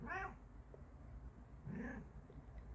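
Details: Bengal cat trying out a new pet sofa indoors gives two brief meows about one and a half seconds apart, the first higher and harmonic-rich, the second lower and rising, with a woman talking softly between them.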